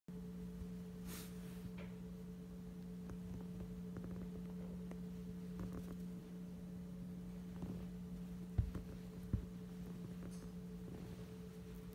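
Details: A quiet indoor room with a steady electrical hum, faint rustles and two soft thumps; no animal voice is heard.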